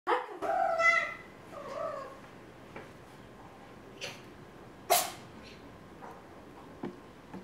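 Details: A white cat at home gives two drawn-out, wavering meows in the opening two seconds, followed by quieter clicks and short sharp household noises in a small room.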